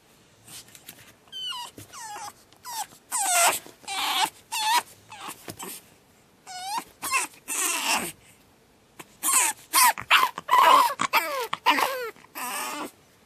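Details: Batman, a pug puppy, screams through his second night: loud falling shrieks and wailing moans, repeated in ragged clusters with short pauses, occasionally rising into piercing squeals.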